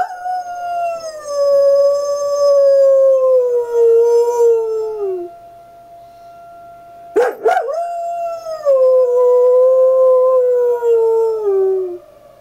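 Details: On the porch with no one around, the dog Sierra howls at the fire whistle: two long mournful howls sliding slowly downward in pitch, separated by a short burst of noise.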